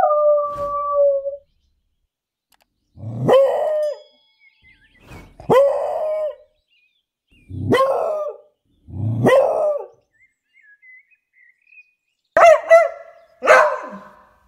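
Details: English beagle dog in a city park during a walk, loud voice: a drawn-out howl opens, then strong barks with falling tails come in pairs every few seconds, ending in a sharp double bark; quiet gaps between calls.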